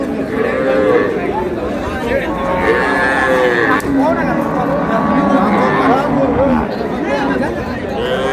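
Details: Market cows with calves at Ambari haat, Dinajpur, 20 February 2026, mooing repeatedly in short curved, bending calls scattered through eight seconds, over a steady din of haggling voices and crowd noise.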